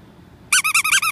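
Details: Golden Retriever puppies: after a short quiet start, six quick, high, squeaky yelps follow one another in under a second, each a bent, slightly wavering note.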